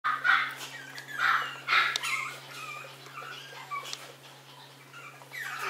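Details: Maltese dog in warm sunshine, giving high, thin whimpering yelps in short bursts, several in quick succession near the start and then softer, scattered squeaks; a faint steady hum runs underneath.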